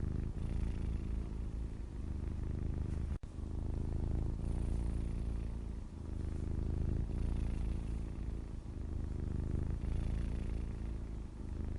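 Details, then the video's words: Low, rhythmic purring from a grey tomcat, a throaty vibrating hum pulsing with inhale and exhale every couple of seconds, interrupted once by a short click. "Just a grey cat and purring"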